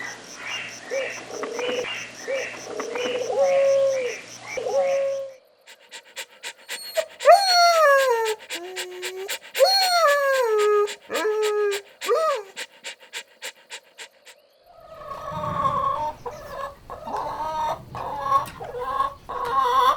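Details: Fluffy puppies having fun in nature; a run of short yelps gives way to high whining whimpers that slide sharply downward, several in a row, then a rougher, noisier stretch of scuffling and muffled cries.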